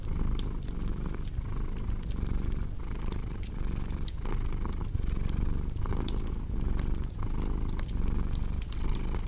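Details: Low, rhythmic cat purr swelling with each inhale and exhale, steady throughout, while a crackling fire adds scattered sharp clicks and pops in the background.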